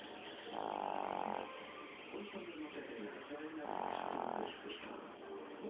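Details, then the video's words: Sleeping Chihuahua snoring softly indoors: two raspy, nasal breaths about three seconds apart, each lasting under a second, over a faint room hiss. "Schnarchender Chihuahua"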